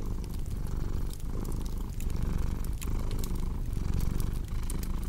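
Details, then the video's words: Cat purring in a steady low rumble that swells and eases roughly once a second with each breath, overlaid by sharp crackling pops from a fireplace. "Purring Cat with Cozy Crackling Fireplace Sound"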